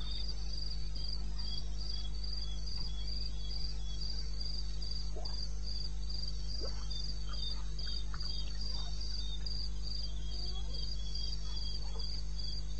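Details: Wild crickets at night in eastern Botswana, recorded 2:30 am on 21 May 16: fast, regular high chirps stream continuously, with faint short rising squeaks mid-range and a low constant hum.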